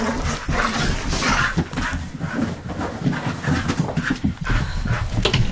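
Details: Husky dog acting wild, giving loud, low, rumbling growl-like vocalizations with harmonic layers, continuous across the stretch with short breathy bursts in between.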